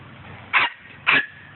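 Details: Poodle, one of the male dogs out among balls and birds, gives two short, sharp barks about half a second apart, with quiet low background hum between them.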